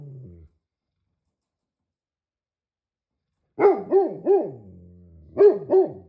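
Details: A Great Pyrenees barks in a quick series of three, pauses briefly, then adds two more booming barks, after a faint low rumble at the start and a long stretch of silence.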